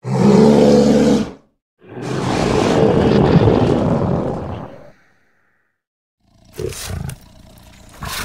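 An American black bear gives two deep, rough, roaring growls, the second longer at about three seconds, followed by quieter rustling and thumping.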